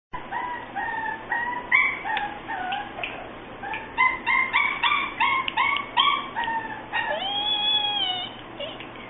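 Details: A red-and-white Boston Terrier puppy gives a rapid run of short, high, squeaky whines and yelps, nearly two each second, ending in a longer wavering whine.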